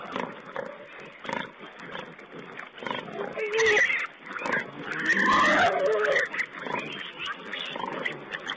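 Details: Feeding wild boar piglets on a webcam, 19 April 2010, giving a loud tangle of squeals and rasping grunts, busiest in the middle, over a steady hiss.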